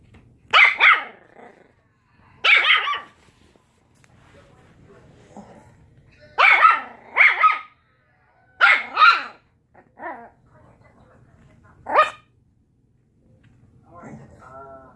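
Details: Quarrelling puppies let out loud, high-pitched barks, often doubled, spaced a few seconds apart with quiet gaps, a softer yip at the end and faint low rumbling beneath.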